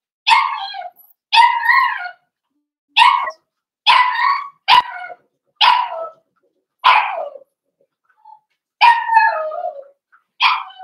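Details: Cavalier King Charles Spaniel puppies from a blenheim litter of five, born on New Year's Eve and New Year's Day, in a puppy pen. A steady run of about ten sharp, bright yelps roughly one per second, a few sliding down at the end.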